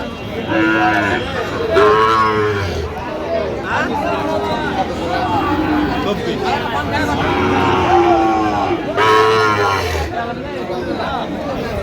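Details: Sahiwal cattle, including a young Sahiwal, at the Ambari weekly cattle market in Parbatipur upazila, Dinajpur, on 12 December 2025. Deep, drawn-out moos come in several bursts over a noisy crowd of bargaining voices.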